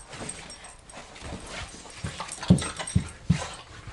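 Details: Indoors in a living room, German Shorthaired Pointers Badger and his bigger mother Piper scrap playfully; low rough growl bursts come in quick succession, the last three loudest and about half a second apart, over scuffling noise.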